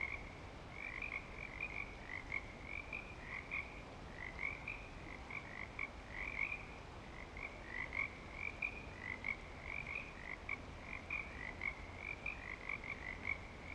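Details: Frogs calling in breeding season at Clearwater Commons: a dense chorus of short, bright croaking notes overlapping continuously, many callers together, with a second fainter band of lower notes beneath.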